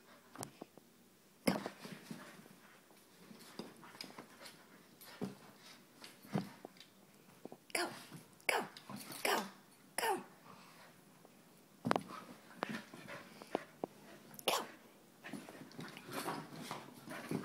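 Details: Abbey and Zoey, Soft Coated Wheaten Terriers, wrestle indoors with low rumbling growls, brief yips and sharp clattering scuffles, quiet between bursts, after a person urges them on.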